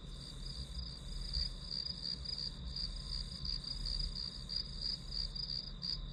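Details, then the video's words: Grass insects as white noise for studying: rapid, closely packed high chirps run almost like a trill above a steady piercing tone, with a gentle low-frequency rumble beneath. "풀벌레 소리"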